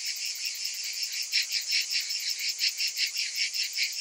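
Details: Cicadas heard in summer: a short burst of a loud, shrill, sizzling buzz that throbs in quick uneven pulses, several clearly stronger, from many insects calling at once.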